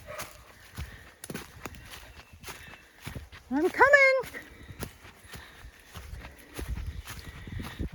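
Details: Puppy caught on the wrong side of a fence in the woods of a County Kilkenny farm in Ireland, crying for help. One loud, wavering, high yelp, with a person talking and footsteps nearby.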